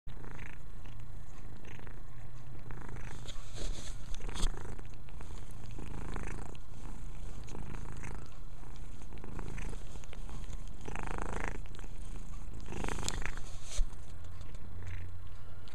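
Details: A domestic cat purring while cleaning itself indoors: a steady low rumble throughout, with soft rustling and licking sounds above it.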